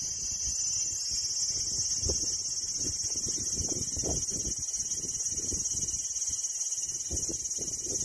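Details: Steady, shrill cicada buzz forms a continuous high drone throughout, with soft irregular low thumps and rumbles beneath it.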